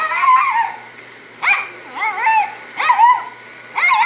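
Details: A Havanese dog in a grooming shop complains or sings the blues while the dryer is on her: four wavering, whining howls that rise and fall, each under a second long, with a steady dryer hum behind.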